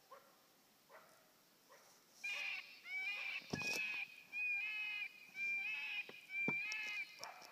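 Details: Coyote howling and barking in response to a FoxPro electronic caller. After two seconds of faint calls, loud wavering howl-barks come in short bursts about once a second, each rising then breaking off, over a quiet background.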